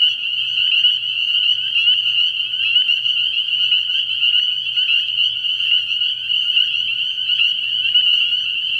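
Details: Night at an early-year frog pond, where a large group of spring peepers keeps up a constant high-pitched peeping chorus, shrill and even throughout.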